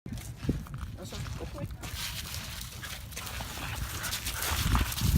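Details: At a dog park in White Rock, BC, Canada, a female Norwegian Elkhound playing excitedly with another dog makes deep, rough, growly vocalizations in uneven bursts, with people talking nearby.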